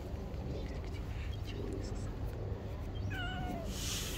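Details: A kitten, one of two street kittens climbing onto a lap and playing, gives a short wavering meow with a slight downward bend near the end, over a constant low rumble and faint human voices.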